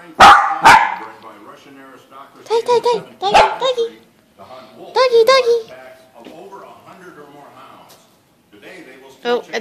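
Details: A male Silky Terrier gives sharp, high barks in quick bursts, barking back at a dog heard barking on television, over TV voices.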